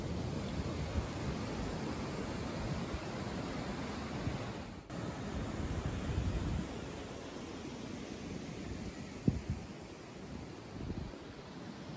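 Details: Only steady wind and low rumbling noise are heard, with no animal voices.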